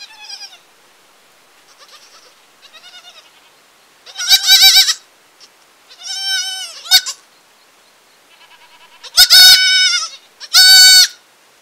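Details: Village kid goat calling repeatedly: faint trembling bleats give way to four loud, vibrating, high-pitched cries spaced a second or two apart, clean and free of other sounds.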